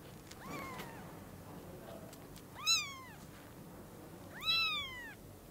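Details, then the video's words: At Lucky Paws, newborn kittens with freshly opened eyes greet their mother: three drawn-out, arched mews, the last two louder and sliding downward, with soft clicks and rustling between them. "The NEWBORN KITTENS whose EYES are opened SEE the MOM CAT for the first time and HUG her"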